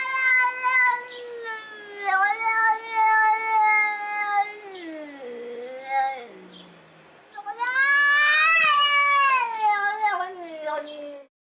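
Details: Angry domestic cat grumbling and yelling: sustained, wavering moans, then a falling, fading tail, and finally a sudden, loud, harsh rising wail that slowly drops away.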